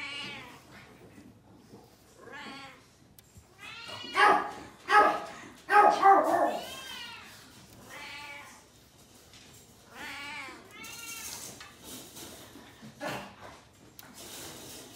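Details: Shrill, bending cries from newborn Japanese Chin puppies, five black pups born February 15, come in a loud overlapping burst midway, then sparser squeaks and whimpers trail off against a low room hush.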